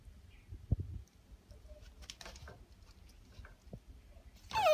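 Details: Kinako, a female Shiba Inu puppy on her eighth day in a new home, desperate to get out of her cage; after soft knocks and rustling, a loud, brief, tonal whine slides downward at the very end.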